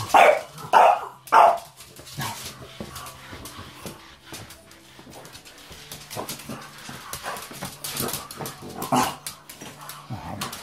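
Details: A pet French Bulldog indoors gives four sharp barks in the first two seconds, then quieter scattered yips and thumps with low household hum, a few more barks near the ninth second.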